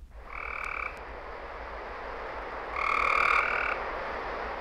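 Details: In Florida, a gray treefrog gives two short, buzzy trills; its rain call sounds nearly identical to its mating trill.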